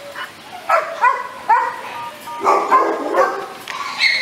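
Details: American Staffordshire Terrier, a medium-sized short-coated breed also called Amstaff, giving a series of short, tonal barks and yelps in uneven bursts, some rising, roughly every half second, against a faint hiss.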